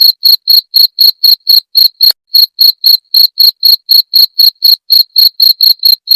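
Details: Cricket sound, tagged jangkrik genggong, offered to drive away rats. Loud, high ringing chirps repeat around four per second, with a short pause near two seconds. Nothing else audible.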